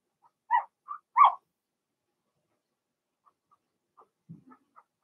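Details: Blenheim Cavalier King Charles Spaniel puppies from Remy's first litter of six, two females and four males born March 7–8, in an indoor puppy pen during potty training; a few short whiny yelps with harmonics, two loud, then quiet faint whimpers.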